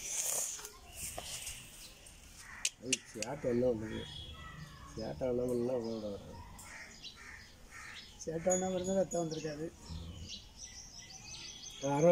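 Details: Calf bawling while a nose rope is tied on it: three drawn-out, harmonic moans of about a second each, spaced a few seconds apart, with clatter and scattered background noise between them.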